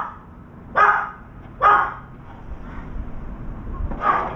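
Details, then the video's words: Barking dog heard beside a veranda visited by a crow. Two sharp barks close together, a pause, then a third bark near the end, with soft background noise. "강아지 짓는 소리"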